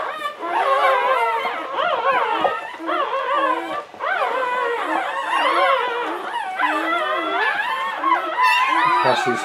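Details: Latte, an English Springer Spaniel in labour with the seventh of nine puppies, 2013: a long run of wavering, howl-like whines that bend up and down almost without pause, with brief dips between cries.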